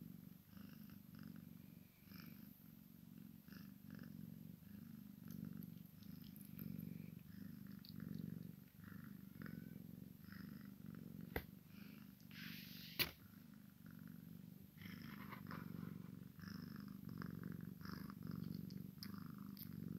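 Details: Long steady purring from a Maine Coon x Sphynx kitten playing with its mother, a low throaty drone rising and falling with breathing, punctuated by two sharp taps and some scuffling.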